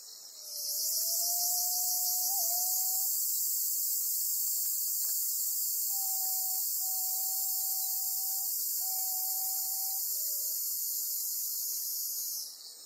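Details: Black cicada caught in a golden-web spider's grip on Amami Oshima, buzzing loudly and unbroken for about twelve seconds before cutting off, with several long level whistles sounding lower down.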